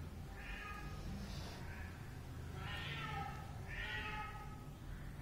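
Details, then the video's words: Kitten meowing: a series of about five short, clear, harmonic meows spaced roughly a second apart, each rising and falling in pitch, over a steady low rumbling background. "anak kucing meong-meong | anak kucing meow | bunyi anak kucing meow"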